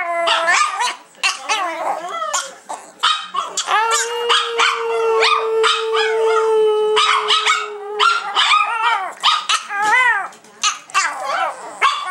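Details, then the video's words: Three pet Chihuahuas howl together, seven-year-old Prada teaching her sisters Tinkerbell and Dasha to sing. Choppy, warbling yips and wavering howls keep coming in rapid bursts over a long, flat sustained note lasting about four seconds. "PRADA THE SINGING CHIHUAHUA"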